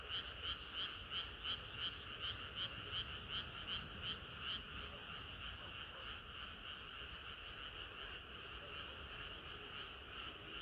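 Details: Summer-night frog chorus, many frogs calling together; loud regular croaks pulse rapidly for the first four seconds, then the rhythm blurs into a denser, softer overlapping chorus against a low steady hum.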